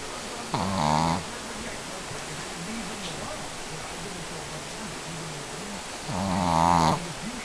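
A sleeping Shih Tzu gives two rasping, nasal snores about five seconds apart.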